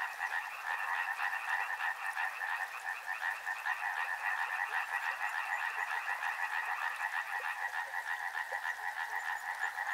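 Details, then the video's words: Dense frog chorus beside a river: countless rapid croaks overlap into an unbroken trilling drone, steady in loudness throughout, with brief stronger pulses standing out. "Frog Sounds | Soothing sounds of river and frogs"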